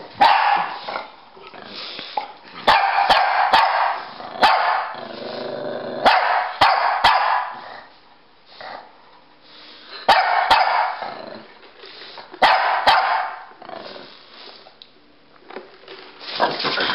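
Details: Two dogs, a Pekingese and a Bulldog named Rocky and Bully, playing chase indoors; loud bursts of barking and growling come in clusters with short pauses, plus sharp clicks of claws or tags between outbursts.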